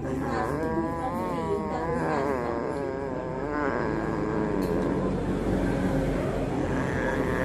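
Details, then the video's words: An upset orange cat, heard screaming while another cat of a different colour is near, gives a long wavering, harmonic wail that rises and falls for about three seconds, then fades into steady low background rumble. "Kucing oren galau"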